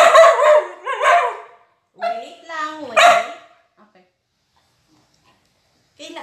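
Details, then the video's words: Talkative female Border Collie at feeding time, eager for her favorite chicken amid 'sit down' commands. Three long, wavering, yowling calls, rising and falling like speech, each about a second, then silence and a brief final sound. "Talkative Dog Food Review Gone Wrong?/Border Collie"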